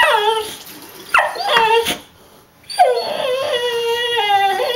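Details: Pet dog impatiently whimpering and crying while waiting to be taken to the dog park: high, drawn-out whines that slide downward, two long bursts separated by a short pause, with a woman talking to him.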